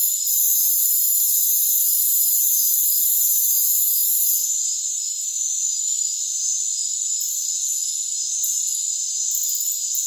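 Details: High, continuous trilling of many rainforest crickets. A loud hissy layer fades after four seconds, leaving the steady ringing chorus with scattered higher chirp bursts toward the end.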